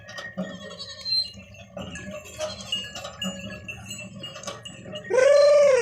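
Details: A goat in a village setting gives a loud, nasal bleat after a stretch of soft bell-like chimes and mixed farmyard sounds.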